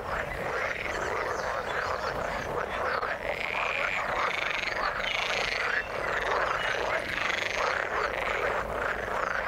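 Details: Frogs in water call together nonstop, a busy croaking chorus of quick pulsed notes, with a brighter trilling band above and brief dips in loudness.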